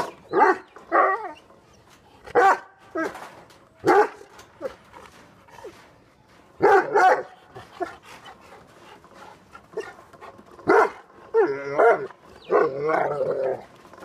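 A Great Dane and a Rottweiler bark angrily in deep, loud bursts with short pauses between.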